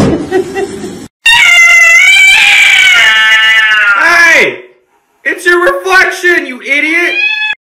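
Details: An angry domestic cat gives a loud, strained, screaming yowl held for about three seconds, then sliding downward. It is followed after a pause by shorter wavering cries, with human speech just before.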